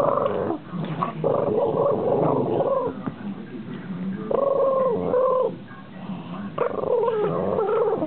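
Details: Playful male Boston Terrier giving his high-pitched growl while his owner teases him over a knuckle bone; tonal, whiny growls come in bursts lasting about a second, with the owner's taunting voice between them.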